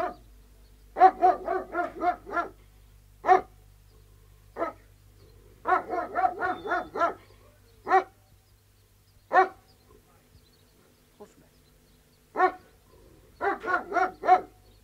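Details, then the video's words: Alsatian guard dogs, three of them, barking outside in loud bursts of four to seven quick barks, broken by single barks and quiet gaps of a second or two. "Three Alsatian Guard Dogs Barking, Exterior"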